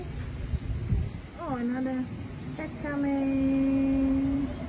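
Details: Stray city cats and kittens without an owner, waiting to be fed, give two drawn-out harmonic meows: a short bending cry, then a long steady level wail, over low background rumble.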